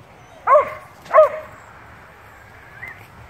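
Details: Two playing dogs, a beagle-shepherd mix and a bluetick, talking to each other; two short, sharp yipping barks about half a second apart, then a faint, brief whine, in a quiet room.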